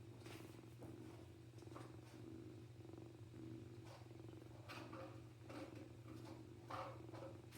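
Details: Small male kitten purring contentedly for a person, his siblings nearby with their mother; a continuous low, throbbing purr rises and falls with each breath, interrupted by scattered rustling and handling clicks over a steady background hum.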